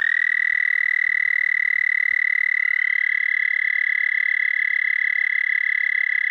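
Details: Night song of a toad on 30 May 2014 at 11:13 p.m. CDT, one unbroken high, even trill, rapid buzzy pulses held at a single pitch throughout, with no other sounds heard.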